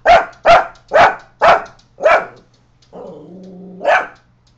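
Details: Coton de Tulear barks at a neighbour as a watchdog, five quick sharp barks in rapid succession, then a low sustained growl-whine that ends in one more loud bark.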